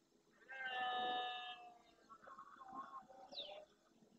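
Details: Red deer stag roaring at dawn during the rut in the Doñana marsh, Andalusia, Spain, beside the Francisco Bernis centre, with a herd of females and young. He courts females and warns rival males off his territory and harem. One loud, rich, droning roar lasting about a second is followed by softer, wavering lower calls and a brief high bird chirp.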